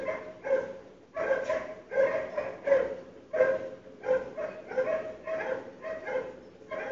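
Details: Barking dogs waking a household on a February 2012 morning, audible through sealed windows and doors: rapid run of rough barks about every half second, after a short pause near the start.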